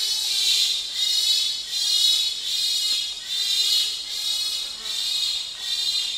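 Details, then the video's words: Pygmy chimpanzee screaming close up in Wamba Forest. Dense, rasping high-pitched screams pulse in waves nearly every second without pause, with forest insects faintly audible. "Pygmy Chimpanzee / CU Screams With Some Distant Answering Calls From Another Group"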